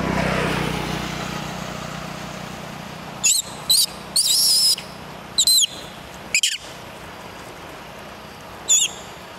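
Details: Little monkey crying, asking its mother for help: six short, high, thin squealing cries scattered over several seconds, some rising and falling, over a steady low background hum.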